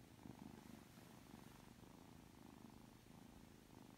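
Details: Aki, a three-month-old Ragdoll kitten, is being affectionate just after waking: a soft, steady low rumbling purr that pulses gently in rhythm with its breathing over four seconds.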